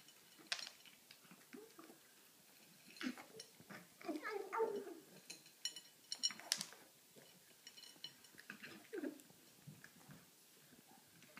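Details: Pet cat eating and giving odd vocal noises: irregular low grunting and murmuring sounds mixed with wet chewing clicks and smacks, with a brief louder throaty burst midway, in a small indoor room.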